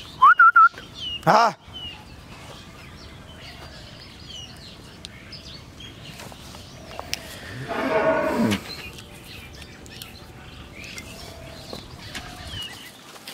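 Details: Holstein Friesian cow after her second calving, kept with her bull calf at a dairy farm in Pabna, Bangladesh, gives one moo about a second long midway; earlier come brief whistled notes and a sharp burst, with quiet background otherwise.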